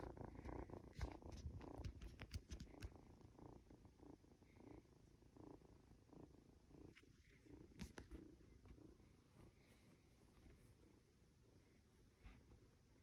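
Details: Norwegian Forest Cat kitten, two months old, stroked at home as it drifts toward sleep; low purring strongest in the first seconds, with rustling of fur and hands, then fading to a quieter rumble.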